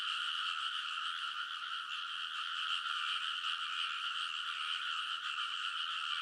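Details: Rice paddy frogs in full midnight chorus, early summer in Kōnosu, Saitama Prefecture, Japan, captured with a TASCAM Portacapture X8; overlapping rapid croaks, roughly two to three pulses a second, merge into a steady buzzing drone.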